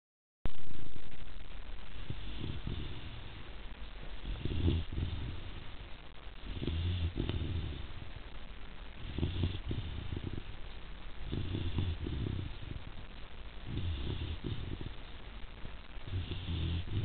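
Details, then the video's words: Zuri, a Rhodesian Ridgeback puppy nearly three months old, snores while asleep: about seven low, rumbling breaths with a raspy edge, each roughly two and a half seconds apart, in a quiet room. "Zuri The snoring Rhodesian Ridgeback Puppy"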